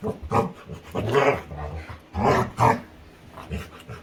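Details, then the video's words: Female Labrador retriever playing with her owner, giving short bursts of growly, grunting vocalizations in quick succession, alongside human laughter and speech indoors. "Cutest Dog Makes Funny Sounds While Playing"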